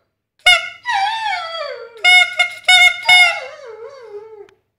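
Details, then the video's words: Dog howling in reply to whistling. A long whistle note gives way to a falling, wobbling howl, then a cluster of short whistle blasts triggers a lower, vibrato-laden howl that trails off. "howling dog"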